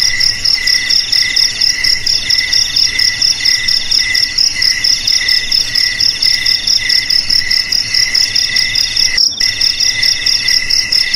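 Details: A chorus of crickets trills continuously, with high pulsed chirps repeating roughly twice per second and layered voices at a few pitches, offered as a rat-repelling sound for houses, garages and fields.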